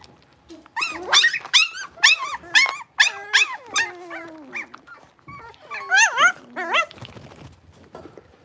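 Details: Six-week-old blenheim Cavalier King Charles Spaniel puppies, a litter of five born on New Year's, kept indoors in a puppy pen. Loud, high, wavering yelps and whines come in quick bursts, pause, then resume in a rising, overlapping flurry.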